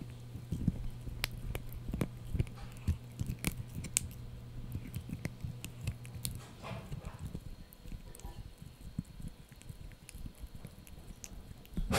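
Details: Crunchy gnawing from Blue, a young Yorkshire Terrier working on a dried bunny ear indoors: dense, rapid bites and crackles, a steady hum fading out midway, louder crunches at the end.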